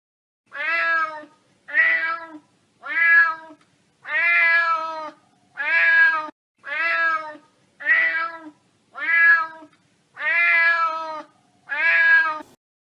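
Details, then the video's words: Domestic cat giving lingering, demanding, lower-toned meows that signal urgency, a need for something right now: ten drawn-out harmonic meows, each about a second long, repeated roughly every 1.2 seconds in a quiet room. "meows that tend to linger a demanding lower tone that seems to last a bit longer those meows can signal urgency"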